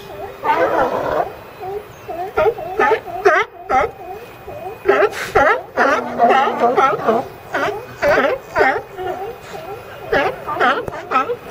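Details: Crowded California sea lions barking almost nonstop: rough, honking barks in long irregular runs, roughly two per second, with several animals overlapping and a low rumbling groan partway through.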